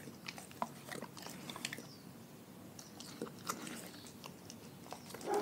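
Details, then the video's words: Raw-fed dogs eating indoors, soft distant crunching and scattered bite clicks over a low room hum, a few sharper snaps standing out. "Dogs Eating Raw Food"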